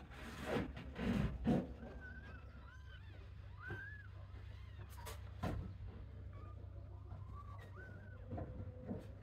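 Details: Kittens wandering away from their siblings to look around a playpen shared with sheep: a few thin, arched mews spaced a second or two apart after loud bumps and rustles at the start, over a constant low hum.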